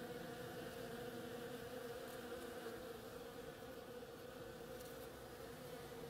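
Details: Bees hard at work on the flowers of an oriental creeper, giving a steady, even buzzing hum throughout with a low drone and no breaks.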